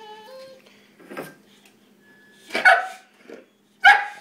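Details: A female Boxer dog wanting beer: a thin, high whine at the start, then two loud, sharp barks about a second apart, with a person talking in between.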